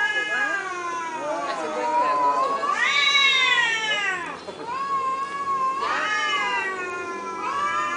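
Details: Cats in Thailand communicating: loud, overlapping meows that swoop up and arc down, several long calls following one another in quick succession, like a back-and-forth exchange.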